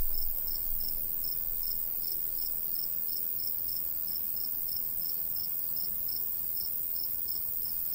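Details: ['Summer crickets in countryside beside a golden wheat field, sending out an even train of bright, high chirps roughly three or four per second, with soft breeze noise underneath.']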